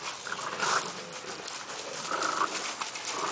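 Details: Litter of blue nose Razor's Edge pit bull puppies playing outside in a yard, mother and older sister nearby; two short high whimpering yelps stand out over scuffling and rustling, with a person speaking.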